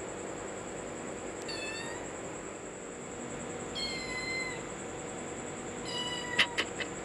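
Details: Playful domestic cat and kitten trading three drawn-out meows roughly two seconds apart, the middle one slightly rising, followed by a few sharp knocks or taps near the end, with a constant high hum in the background.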